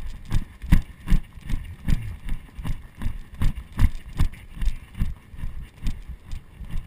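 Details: Arabian horse ridden in Sicily, recorded from the saddle on a GoPro Hero 2: steady, rhythmic low hoof thuds about two and a half per second, an even gait with no whinny and little other sound.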